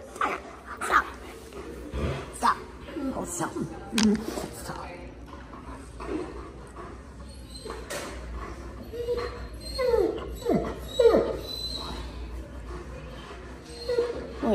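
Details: Alaskan Malamute Tonka chats with everyone at the vet's office, limp gone. A string of whiny, sliding yips and moans, many dropping in pitch, some short and abrupt, interleaved with people talking and laughing.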